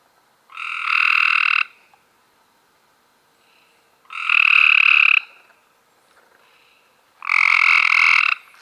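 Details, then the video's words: Close, clear calling of a Cope's gray treefrog, May 2016: three loud rasping trills, each about a second long, spaced roughly three seconds apart over a quiet background. "Cope's Grey Tree Frogs"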